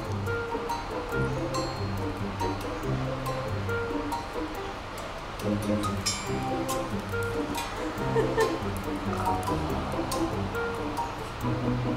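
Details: Rhythmic background music plays throughout with some speech-like sound over it, and no animal voice stands out.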